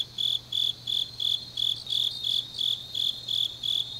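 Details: Autumn grass insects calling late at night in Changnyeong, Korea, giving bright, high-pitched pulses roughly three times a second, each chirp slightly buzzy and evenly spaced, over a faint constant low hum.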